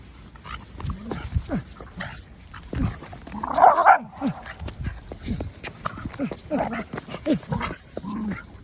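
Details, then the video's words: Pet dog Maeumi during a rough play fight, giving repeated short growling grunts and whiny yelps throughout, with a louder, noisier burst near the middle, scuffling sounds and a person's voice mixed in. "마음이와 난투극"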